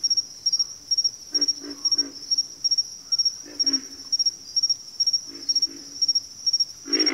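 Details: Frog chorus from a backwater: throaty low grunts come in short doubled or tripled groups, with a rhythmic high-pitched insect pulse ticking along throughout and a louder grunt closing the stretch.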